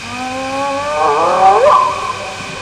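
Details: Hyenas whooping in the early morning hours at Nkorho Bush Lodge, South Africa, on 11 May 2011; a low drawn tone runs into rising, wavering harmonic sweeps over a steady background hum.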